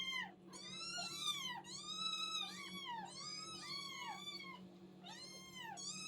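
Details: Hungry young kittens crying together, their shrill, drawn-out mews bending up and down and running into each other almost continuously, with a constant low electrical-sounding hum underneath.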